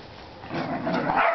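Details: Whippet named Chase or Chippy, one of three pet whippets (Chippy, Chase, Viola) at play, gives a short, loud, rough bark lasting about a second, rising in intensity toward the end.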